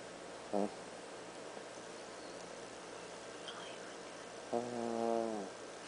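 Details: Black toy poodle Andy napping on a couch, snoring: a brief squeaky snort early on, then a longer nasal, whistling snore with stacked falling tones, over steady quiet room hiss.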